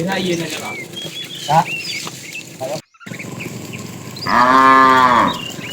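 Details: Tame cows of a herd wandering in search of food; after a short gap comes one strong, steady moo of about a second, with faint bleating-like calls and bird chirps earlier.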